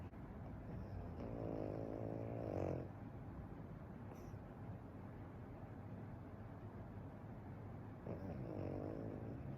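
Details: Sleeping Pekingese whose snoring never stops: a long vibrating, rattly snore early on, then quiet breathing and hum, then another buzzing snore near the end.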